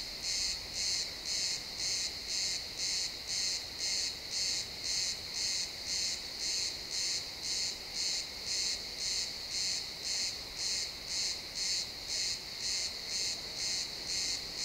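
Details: At sunset in a pine forest, crickets chirp in XY stereo: a long, very regular train of about thirty shrill, buzzy pulses, close to two per second, with a constant high insect drone underneath.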